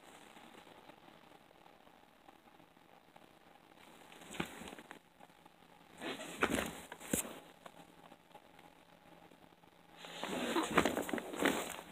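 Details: A quiet background hiss is broken by brief rustling and handling bursts around the fourth, sixth to seventh, and tenth to twelfth seconds, with no calls heard.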